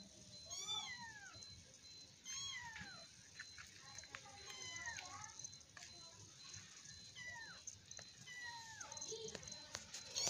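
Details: Young kittens play-fighting and wrestling indoors give thin, high mews that sweep downward in pitch, about eight short cries spread across the clip, with faint rustling and a soft, steady background tone.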